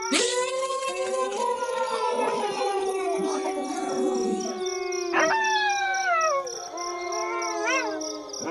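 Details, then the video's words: Several wolves howl at once, their long tones overlapping; one holds a steady note as others swoop up and glide down, one wavering near the end. Steady faint pulsing chirps sound in the background. "Wolves Howling"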